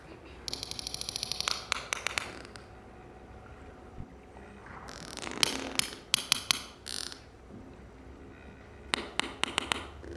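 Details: A sperm whale family group of mothers, grandmothers, sisters and brothers, recorded by Project CETI and seen with a newborn calf only minutes old, trades sharp, broadband clicks in short rhythmic bursts, exchanging codas in conversation.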